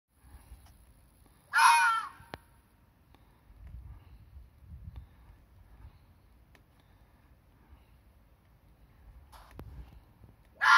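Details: Red fox screaming in the dark during breeding season, a call that confirms territory between rival foxes: one loud, harsh, wavering scream lasting under a second, a faint one later, and another beginning at the end, with quiet night background between.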